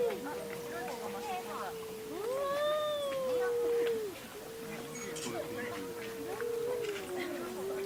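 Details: Household cats quarrelling at home: a long, drawn-out yowl held at a fairly steady low pitch, swelling in the middle, then a brief break and a second sustained, wavering moan that slowly sinks toward the end.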